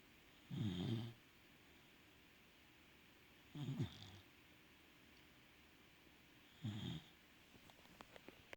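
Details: Worn-out Welsh Corgi snoring after a walk: three low, raspy snorts roughly three seconds apart, a quiet room between them, and faint ticking near the end.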